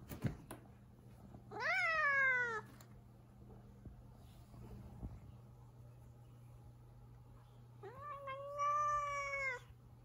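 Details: Indoors in the kitchen, the cat Zefir, displeased and refusing to let anyone pass, gives two warning yowls: a rising-then-falling wail around one second long, a quiet gap, then a longer steadier moan with a low background hum.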